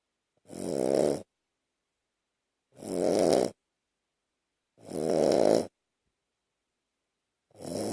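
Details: Two-year-old Shih Tzu, described as mixed with Lhasa Apso and bichon, asleep on a person's chest indoors, snoring steadily: four broad, raspy breath bursts of about a second each, spaced roughly two seconds apart, with silence between.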